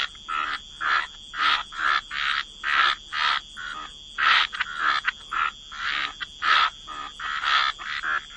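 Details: Frogs croaking at a wetland waterside, with clear separate rasping croaks repeated roughly every half second to second in a fairly even series, and a steady faint high tone behind.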